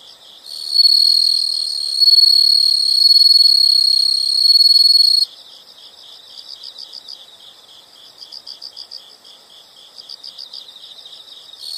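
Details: Insect chorus from a relaxing nature soundscape, with a loud continuous high-pitched trill lasting about four and a half seconds, giving way to quieter, fast rhythmic chirping pulses.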